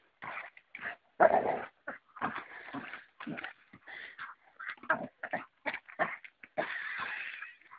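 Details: Dalmatian dog wrestling playfully with a slightly too big stick, making short rough growling and grunting bursts, irregularly spaced and broken by brief pauses, with some louder snarly outbursts.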